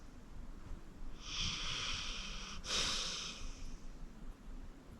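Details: Senior pit bull Acorn, 14 years old and adopted from the Cuyahoga County Animal Shelter, breathes loudly in sleep: one long, airy, hissing breath that swells and fades against a quiet background.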